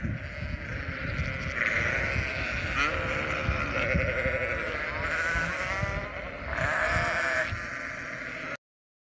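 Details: Sheep bleating over a constant noisy background, several wavering calls rising out of the din, one clearer bleat near the end before the sound cuts off.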